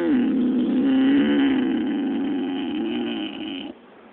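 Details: A male pig asleep and dreaming, likened to a dog chasing squirrels in its sleep, gives a long, droning, nasal moan that holds steady at a low pitch, then tails off abruptly into quiet breathing.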